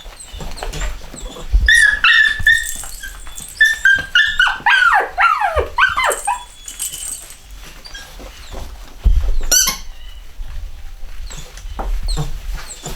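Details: A home-bred litter of chocolate Cockapoo puppies, a Cocker Spaniel and Poodle cross, produces overlapping high whines and squeals, some sliding downward, in a dense cluster midway, with handling noise and thumps around them.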